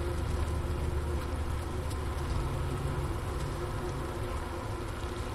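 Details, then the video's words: Low, continuous buzzing of a honey bee cluster inside its hive in winter, January 16, 2024, about 4 PM, Wooster campus of Ohio State University, 15°F outside. A Sony ICD-PX370 sat by the inner-cover hole near sugar brick remains. The deep hum shifts slightly midway. "Bee Hive Sounds in Winter"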